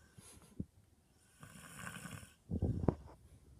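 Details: George, a dog, snoring: a low rough rasp around two seconds, then a louder, harsher snore with sharp snorts near the end, in a quiet indoor room.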